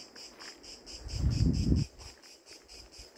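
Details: A cicada in the tree just overhead at an outdoor bivouac gives a high, dry buzz pulsing steadily at about four beats a second, with a brief low rumble midway.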